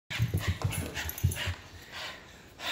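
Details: Wet, excited dogs racing around after Hurricane Michael; quick low huffing breaths in short bursts, then softer, steadier breathing.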